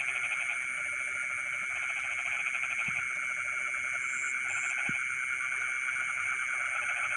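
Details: Night chorus of frogs in rice fields, a dense rattling, pulsed croaking that runs almost without a break, set against a steady piercing insect hum and a couple of soft knocks.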